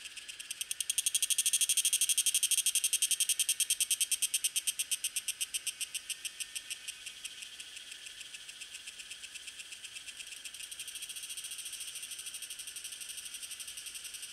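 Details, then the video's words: A Tanna viridis cicada, recorded in May–June at Lianhuachi and Dasyueshan, Taiwan, sings a high, buzzy, rapidly pulsing rattle that fades and then swells again. "小暮蟬 蟬鳴聲 / Tanna viridis - Cicadas in Taiwan"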